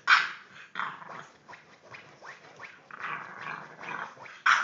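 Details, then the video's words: English bulldog puppy, three months old, growling with short harsh barks and yips during play, bursts separated by brief pauses, with rustling between them. "English bulldog puppy"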